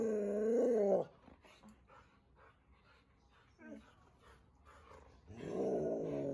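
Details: Pet Siberian Huskies out walking in the chilly winter air near home in Ubon Ratchathani, Thailand; a loud, bending harmonic whine for about one second, quiet rustling, then a rougher growly vocalization at the end.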